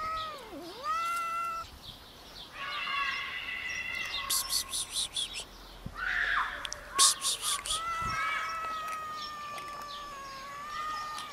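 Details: Four scared homeless cats showing up for food meow repeatedly: one call dips sharply in pitch, then several longer wavering meows follow. Rhythmic rustling or crunching sounds break in between the calls.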